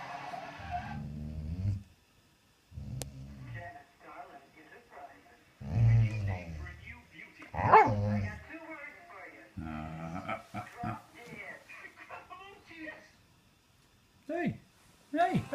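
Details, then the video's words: Dogs begging for food, making talking-like sounds: low moaning and whining vocalizations with a few yelps in uneven bursts, while a person speaks and tells them to sit down. "Dogs talking for food"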